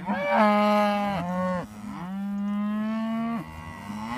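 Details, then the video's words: Morning greeting from traditional Beef Shorthorn cattle approaching; loud, close, sustained moos, first a steady one over a second long, then a longer rising-and-falling bellow, with a fainter moo starting at the end. "Traditional Beef Shorthorns coming to say good morning"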